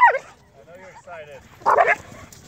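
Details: Rough play between a Catahoula and Connor, a young Irish Wolfhound of 8.5 months: a sharp falling yip opens, then two wavering whines, then a loud harsh bark-like burst near the end.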